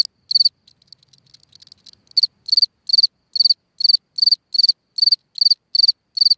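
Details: Cricket chirping at night from a hole in the ground: one chirp, then a pause with scattered soft clicks, before sharp, high, pulsed chirps resume at a steady rate of roughly two and a half per second.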